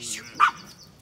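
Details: Small sheepdog on a farm in County Kilkenny, Ireland, barking while ewes and lambs are moved up to an orchard. A single short, sharp bark cuts through faint background sound.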